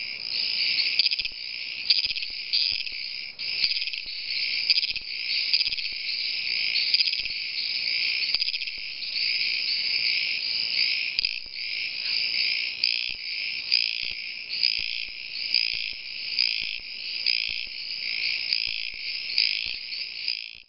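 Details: Mating calls of Dwarf Mexican treefrogs recorded in Yelapa, Jalisco, Mexico, on 4 September 2013: a dense, continuous high-pitched chorus of rapid pulsing notes, swelling and dipping roughly every second, with faint clicks beneath.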